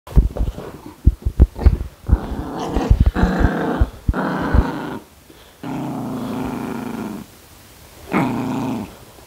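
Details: Maltipoo named Haengbok growling while playing with a slipper it refuses to let go, biting the owner's hand; rough low growls in bursts, with sharp bumps and scuffling at the start and quiet pauses between growls.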